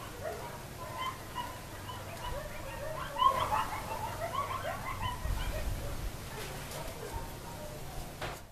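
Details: Several coyotes call as the sun is going down, a jumbled chatter of short yips and tremulous howls swelling near the middle, over a faint low rumble in the background.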